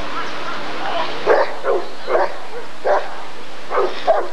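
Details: A Rottweiler being assessed at the 1994 ADRK Körung breed survey barks rapidly, about six rough, broadband barks packed into four seconds over steady background murmur.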